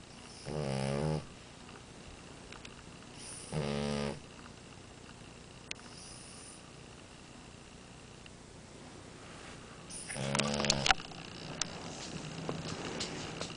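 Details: French Bulldog Amora asleep and snoring. Deep, rhythmic rattling snores come roughly every three seconds, then a louder, ragged one. Faint clicks and light rustling sound in the background.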